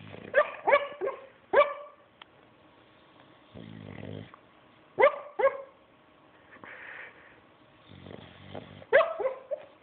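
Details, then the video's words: Weird snoring from a sleeping bulldog, mixing clusters of brief, high, squeaky downward-sliding notes with low, buzzy, rattling breaths. The pattern repeats at irregular intervals of a few seconds, indoors and otherwise quiet. "Bulldog Wierd Snore"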